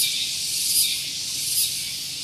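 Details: Tonggeret (cicada) singing in the morning at Gunung Geulis, Bogor, West Java, near a vehicle parking area; loud, dense high-pitched hissing buzz with two swelling pulses about 0.8 seconds apart.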